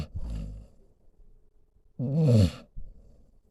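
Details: Senior pit bull mix named Solomon snoring while lying beside its owner; a low rumbling snore opens, then after a pause a louder, rough, roaring inhalation snore rises for about half a second, followed by a softer snort.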